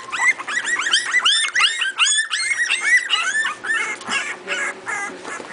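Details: A new litter of Miniature Pinscher puppies, four weeks old, playing together. High, bending whimpers and squeals tumble over one another several times a second, each rising then falling, with short breaks between bursts.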